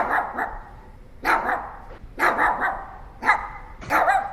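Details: Pomeranian, a small dog breed, barking in sharp, high yappy bursts, some doubled or tripled in quick succession, about five bursts with short quiet gaps between them.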